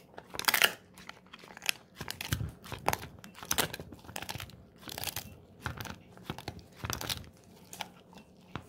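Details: Snack time for Moko, a Golden Retriever, biting into a pig ear indoors. Sharp crunches come in clusters about once a second, and a particularly loud crack opens the sequence.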